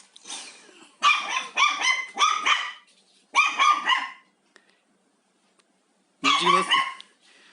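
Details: Haengbok, a house dog both curious about and scared of the vacuum cleaner during home cleaning, lets out rapid strings of high, sharp barks in three bursts separated by brief silences.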